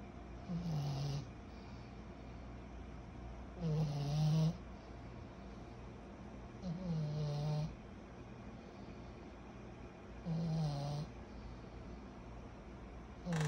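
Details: Kyro, a 14-month-old pug puppy, snores while asleep: five loud, low, rasping inhalations roughly every three seconds, each rising to a brief harsh peak, with a quiet steady hum between breaths.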